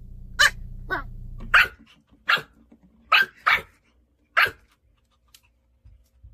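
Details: Annoyed Pomeranian puppy, tired and cranky, lets out a series of short sharp barks roughly every half second to second, some doubled, ending in quiet.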